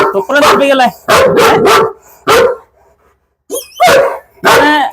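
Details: Chained German Shepherd called Bruno in Perumbavoor barking in uneven volleys, several sharp barks close together then a pause and more, while people talk around it.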